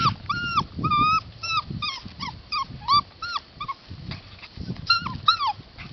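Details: Rescue puppies, possibly a Husky and Lab mix, whimpering in a steady series of short, high, whistled yelps, each arching up then down, several per second, over low background rumble and shuffling.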